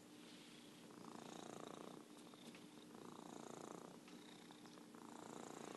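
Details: Merlin the orange tabby cat purring continuously, the grainy vibration swelling in three drawn-out surges separated by softer dips, against a faint steady electrical-like hum.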